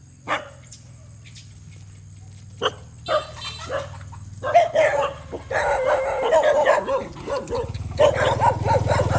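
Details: Stray dogs fighting while eating rice near a road on a farm in Cambodia; loud overlapping snarls, growls and yelps build into a sustained scuffle after scattered sharp barks, with low engine rumble underneath.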